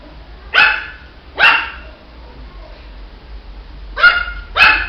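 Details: Four crisp, high barks from a Shih Tzu puppy, two near the start and a quick pair near the end, separated by a quiet stretch.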